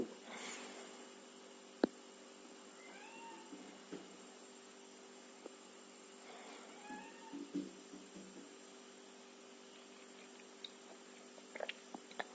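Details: Fis, a male mixed Angora cat, gives two drawn-out harmonic meows, each arching up then down, several seconds apart, over a steady electrical hum with a few soft knocks.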